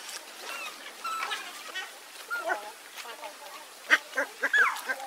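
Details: Hungry baby monkey Leo begging its mother for milk, giving thin, wavering cries and squeals in irregular bursts that grow sharper and louder toward the end, over faint background rustling.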